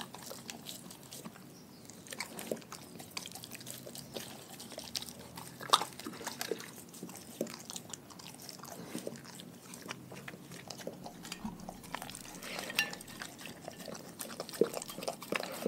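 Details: A pack of dogs working through a raw food meal: long stretch of quiet, scattered clicks and crunches with occasional louder bites over a low room hum.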